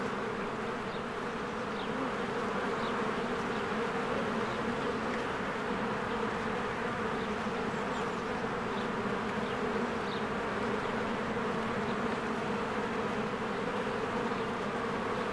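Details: Honeybees in spring flying in and out of their hive amid blooming flowers; a dense, steady droning hum from many bees, with faint high bird chirps scattered above.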